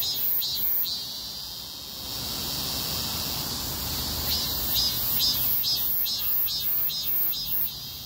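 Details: Cicadas buzz together in a dense, high chorus with rhythmic pulses on a street during a heatwave, over a low traffic rumble.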